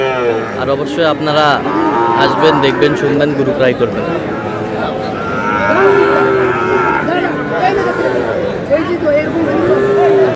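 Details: Sahiwal bull calves bought by a Dhaka farmer, giving a few low, drawn-out moos amid busy overlapping human chatter and crowd noise, the lowing steady and tonal near the middle and end.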